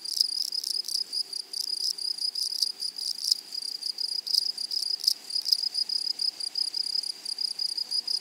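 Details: Grasshoppers singing in a flowery prairie meadow, a sharp high-pitched scratchy chirring in quick irregular pulses and short clustered bursts, layered over a constant faint shrill tone.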